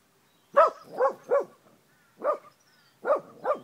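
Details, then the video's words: Angry female Australian Kelpie, a dog that picks on cows and horses, barking in short harsh bursts: three quick barks, a pause, one more, then two, rising and falling sharply. "Angry Australian Kelpie"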